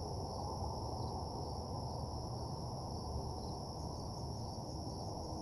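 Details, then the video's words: Crickets at night in a deserted parking lot: a steady, high, unbroken trill in two bright bands runs throughout, over a dense low rumbling background noise. "Cricket Sounds"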